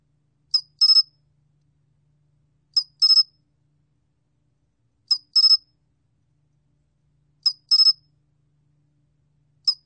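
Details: Cricket known in Korean as 솔귀뚜라미, from a 2020 National Institute of Biological Resources recording: a short high chirp followed by a triple-pulsed chirp, the pair repeating about every two and a half seconds against silence.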